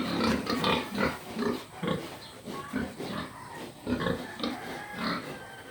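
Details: Pig giving a rapid run of deep, snorting grunts, over two a second, rising and falling in loudness in an uneven rhythm.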